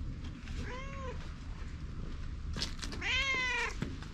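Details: Stray cat in Japan, followed after meeting eyes with the filmer, which later bit, filmed on a GoPro: two clear meows, a short arched one and then a longer, louder rising-falling one, with a soft rustle between and a low rumble of background noise.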